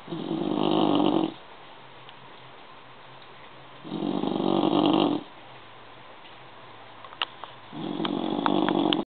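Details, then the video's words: Snoring bulldog in deep sleep: three loud, harsh, buzzing snores repeat roughly every four seconds, separated by near-silent gaps, with a few faint clicks near the end. "Schnarchender Bulldog"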